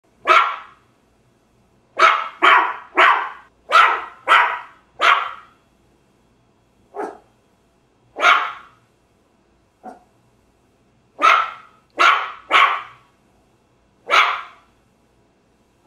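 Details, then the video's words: Small dog barking in quick bursts: a run of five sharp barks, then scattered single barks and a final cluster of four, each short, bright and abrupt, with silence between. "small dog barking"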